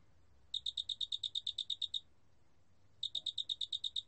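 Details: Large spotted cricket calling: a clear, high chirping trill of about a dozen evenly spaced pulses lasting roughly one and a half seconds, a pause of about a second, then another pulse train. There is a faint low hum underneath.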